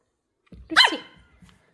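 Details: Excited Pomeranian puppy greeting new kittens for the first time gives one loud, harsh, high-pitched bark with a short trailing whine, amid quiet indoor surroundings.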